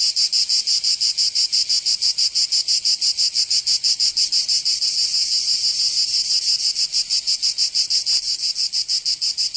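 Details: Cicadas singing in summer in Provence, southern France: a dense, high buzzing pulsed rapidly about three times a second in a steady, unbroken rhythm, with no other sounds.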